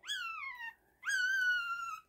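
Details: Two-day-old purebred Lhasa Apso puppy, a parti-colored male, indoors while the mother is away eating: two thin, high whines, the first sliding downward and the second held fairly level, separated by a short pause.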